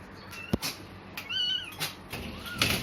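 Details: Abandoned newborn kitten in a cemetery, one of four lying on a cloth at dusk, lets out a drawn-out arched mew followed by a softer rising one, amid clicks and rustling handling noises.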